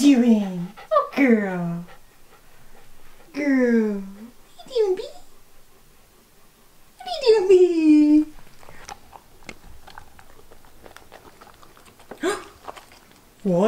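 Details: Wallace the Old English Sheepdog "talks" to his owners with deep, falling grumbling groans in three bursts, each sliding lower and trailing off. Softer sounds and a brief voice fill the gaps in a small indoor room.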